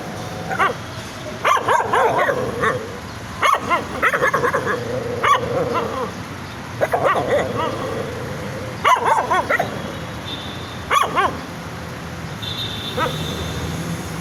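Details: Puppies barking excitedly, short yappy barks in irregular bursts about every two seconds, with thin whining tones near the end.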